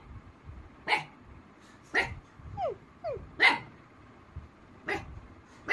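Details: Rossy, a female Black Mouth Cur, answers an imitation of a baby dog with about six short, harsh barks roughly once a second. Two brief, falling whine-like imitation sounds come in between.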